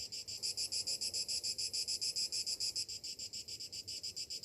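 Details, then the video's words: Cicadas on a summer morning, their high buzzy song throbbing in fast, even pulses, about three or four beats a second, loud and steady throughout. "Morning summer cicadas sounds"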